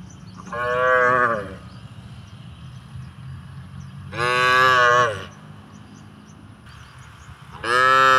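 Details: Plump cow wandering through rice-field pasture and eating grass in a village: three loud, sustained lowing moos spaced several seconds apart, the last cut off at the end, with faint outdoor hum between.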